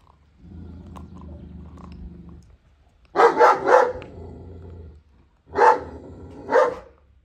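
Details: Kangal female Reina defends her food indoors against Vurgun, another dog kept from approaching. A low grumbling comes first, then a rapid burst of three heavy barks, and after a pause two more single booming barks.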